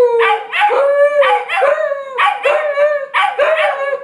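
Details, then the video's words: Two huskies howling in chorus, called singing: a quick run of overlapping wavering howls, each beginning with a yelping break and then flattening into a sustained tone, repeating roughly every second. "Huskies Howling"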